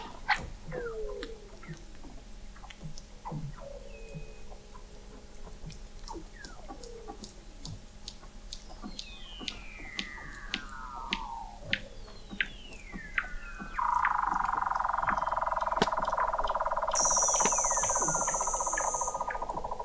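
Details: Weddell seals beneath Antarctic sea ice in McMurdo Sound, November 2017, recorded at an observatory 21 m down: rapid pulsed clicks throughout, falling chirps, long descending sweeps, then a loud sustained buzzy tone from about 14 seconds.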